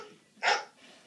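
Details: Pet dog indoors reacting to a dog on a screen: one short, sharp bark, then quiet with a faint background hum.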